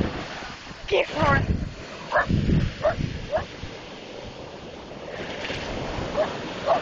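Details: Dog on the beach going wild at the crashing ocean, giving short, clipped barks in an irregular string, a few close together then spaced out. A human voice is also heard, over a steady wash of waves and wind.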